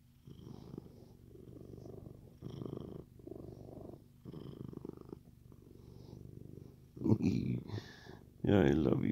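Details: A male Siamese cat purrs in a low, steady, rumbling rhythm, like a machine, while being petted, with a person speaking affectionately at the end.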